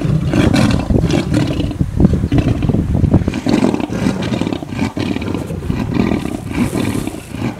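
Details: Lions squabbling over a buffalo kill, giving a dense stream of harsh, low snarling growls and rasping roars, loud throughout with quick jagged bursts.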